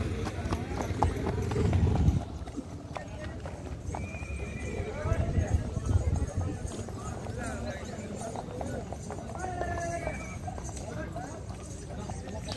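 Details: Horse at the Akluj horse market in Sholapur, 2022, whinnying several times in short, wavering bursts amid busy hoof clip-clop and people talking nearby.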